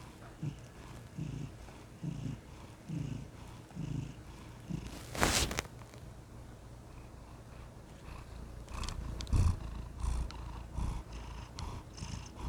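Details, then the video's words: House cat purring in soft low rhythmic pulses, interrupted by a sharp loud rustle midway, after which faint purring resumes among scattered clicks and handling noises. "The Soothing Sound of a Purring Cat"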